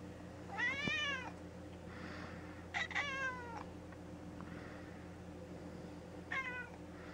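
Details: Mouse, a gray tabby pet cat, indoors after polyp-removal surgery, meows three times: a long bending cry, a clipped double meow, then a short one, over a low steady hum.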